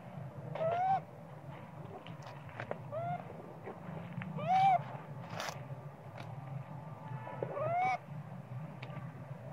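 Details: Sweet Pea, a hungry baby monkey, crying for milk while the mother pays little attention; short wavering, rising squealing cries in bursts near one, three, five and eight seconds, over a steady low background hum.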